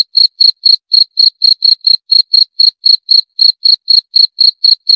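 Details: Cricket chirping steadily, sharp high-pitched pulses about four per second, evenly spaced and continuous, with no other sounds.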